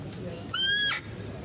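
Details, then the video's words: Female deer calling at a zoo while a male deer is fed nearby: a single half-second, high, clear call with strong ringing overtones, held nearly level and ending abruptly, over quiet background hiss. "mendengarkan suara rusa betina"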